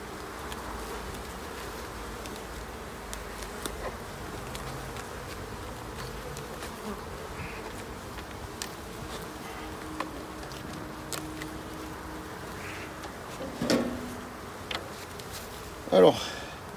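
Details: Honey bees at hives being inspected at the end of summer, 22 September; a continuous droning buzz fills the recording, with occasional taps and a louder knock near the end.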